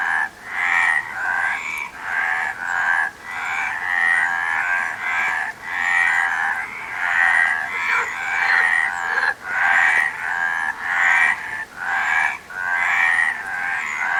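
Frogs croak in a steady series of rough, pulsed bursts repeating a little more than once a second.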